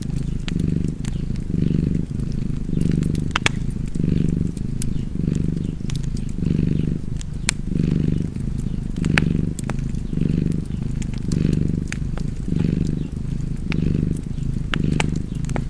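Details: Steady low purring from a cat by a crackling fireplace, rising and falling in about fourteen even breath pulses, with frequent snaps and pops from the burning fire.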